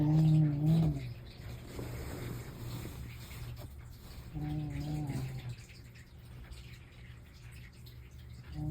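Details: Pet cat snoring indoors, one of two house cats named Mei and Totoro; low droning tonal snores about a second long, the second arriving roughly four seconds after the first, with faint room hum between breaths.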